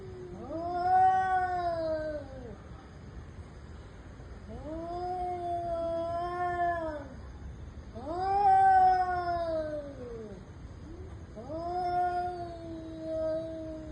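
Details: Domestic cats in an intense fight: four long, drawn-out yowls, each swelling then sagging in pitch with a whiny, nasal tone, separated by short pauses, over a steady low background hiss.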